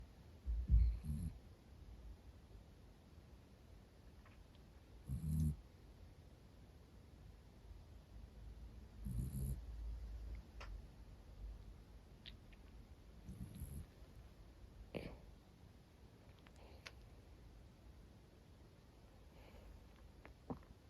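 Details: Sleeping female Miniature Dachshund, black-and-cream coat, snoring contentedly indoors: soft low rumbling snores roughly every four seconds, quiet between breaths, with a few faint clicks in the room.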